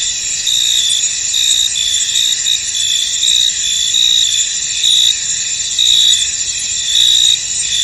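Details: A field veiled in mist carries a constant high cricket trill, punctuated by stronger chirp pulses arriving close to once a second in a loose rhythm.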